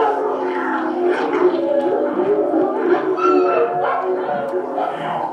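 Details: Puppies from the Bodie/Mattie litter, 28 days old, just before dinner and still sleepy after napping in a wire crate. A chorus of overlapping high whines and short yips, with music from a CD of animal noises.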